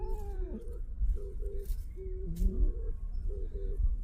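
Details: A domestic cat that refuses to go home after an hour of play. It gives a series of short, mid-pitched meows, and a man keeps urging it in Korean to come along.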